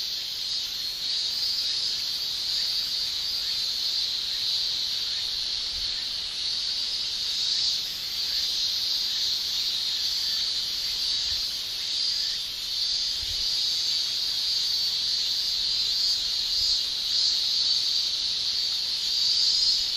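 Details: High, unbroken shrilling of male cicadas during summer in Japan, a thick hissing wall of sound that gently waxes and wanes over several seconds.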